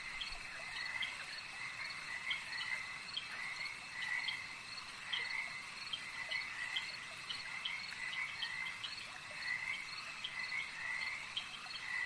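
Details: Frogs at a lake at night: a chorus of short, buzzy croaks repeated about every half second in overlapping bouts, over a steady high insect-like trilling hum.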